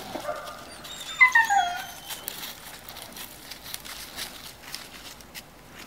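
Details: Two-year-old female Cane Corso giving one short, high whine that slides steadily downward over about a second, with a faint yelp just before it, then quiet rustling and light background noise.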